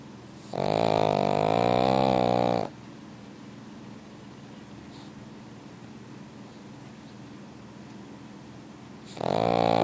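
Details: In a warm, heated room a pug snores in deep sleep. An early two-second buzzing, droning snore is followed by quiet breathing, and another loud snore starts at the very end.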